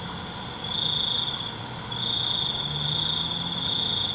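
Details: Crickets chirping at night: an unbroken high, shrill trill that grows louder after a short lull, with a faint low drone underneath.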